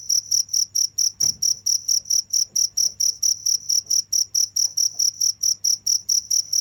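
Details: A cricket chirping steadily without pause, about two to three high, pure pulses each second in a regular rhythm, with a faint low hum and one brief soft knock in the background.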